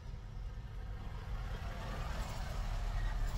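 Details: Low rumbling traffic and vehicle noise swelling into a broad hiss, with no animal sounds.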